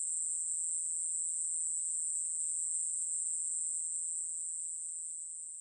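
A katydid sings a steady, high, hissing buzz that runs on without a break.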